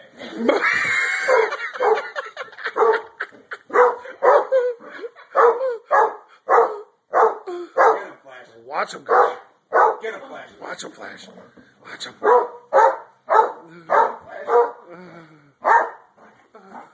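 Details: Flash, a Basset Hound, attacking socks: a long run of loud, deep barks and bays, roughly two per second, irregular and continuing throughout, with a person urging him on at the start.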